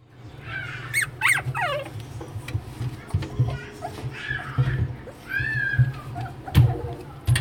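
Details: A black Shih Tzu puppy indoors makes thin, squeaky whimpers and yelps that rise and fall in short, irregular bursts, over a steady low hum and faint background noise.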